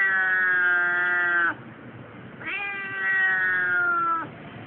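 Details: Keiko the Siamese cat voicing protest at a tram station while travelling to the vet for her yearly check: two long, level, nasal meows of about one and a half seconds each, a brief pause between.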